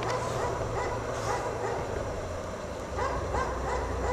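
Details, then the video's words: A dog left chained outside in the snow all day barks in quick, uneven bursts, with a steady low hum underneath. "Dog Barks all day in the snow"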